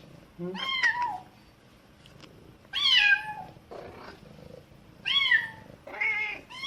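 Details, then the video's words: Baby cat crying as its mother educates it, with the mother cat replying in between: four loud bending meows, some rising then falling, plus a lower softer answering call near the middle, indoors. "엄마고양이에게 교육 받는 아기고양이 울음소리"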